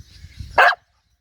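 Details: Australian cattle dog at Wellington Point giving one short, sharp, loud bark after quiet low background rumble.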